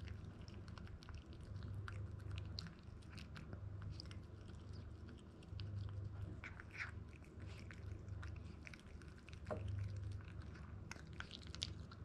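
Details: Toy Poodle puppy named ZEN, a male born in Japan and 62 days old, eating grain-free dog food indoors; soft irregular crunching and chewing clicks, a low steady hum underneath.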